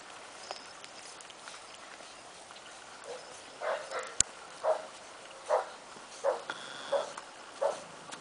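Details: Bulldog playing tug of war with another dog, giving short, mid-pitched grunting bursts that come roughly every three-quarters of a second and grow more regular toward the end, over a steady hiss, with one sharp click midway.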